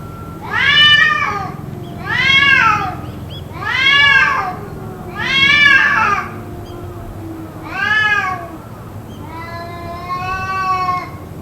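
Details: Endless cat cries, perhaps a fight, that went on for roughly two hours: five strong arching yowls at steady intervals, then a longer flatter, wavering wail, with a low background drone.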